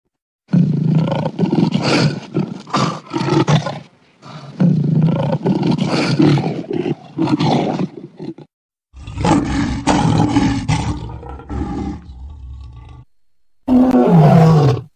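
Leopard cubs give hoarse, growling calls in bursts, with a deeper rasping roar near the end.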